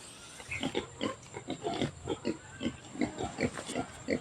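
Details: Native pig being fed sweet potato rejects, giving short rhythmic grunts repeated about three times a second, with a man talking in the background.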